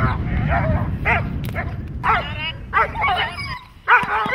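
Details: Dog in protection training giving loud, rough barks in short bursts, with a pause near the end, over a steady low rumble and some human voices.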